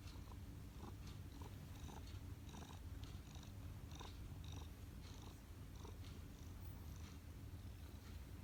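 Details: Kneading house cat gives an even, deep purr throughout, a low vibrating drone with light rhythmic clicks scattered over it, roughly one or two a second.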